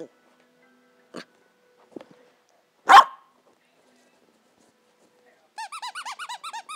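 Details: Pembroke Welsh Corgi puppy, 14 weeks old, demanding a Kong Wubba toy hidden under the couch: a few faint yips, then one loud, sharp bark, followed by a rapid run of squeaky-toy squeaks.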